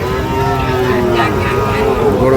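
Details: Sahiwal cattle at the Ambari cattle market in Parbatipur, Dinajpur, on Friday, 8 August 2025, where bull calves are sold: one sustained, steady low moo with even stacked harmonics over a background of crowd murmur.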